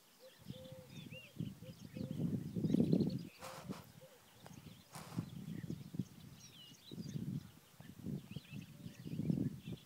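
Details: Several wild boars at Nahal Issachar give low, rough grunts in uneven bursts, with faint bird chirps behind.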